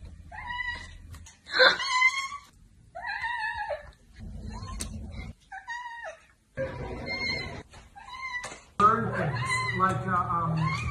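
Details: Pet cat indoors in a funny cat compilation: a run of clear, tonal meows, several bending upward then down, repeated every second or two, with a person talking and household noise between the calls.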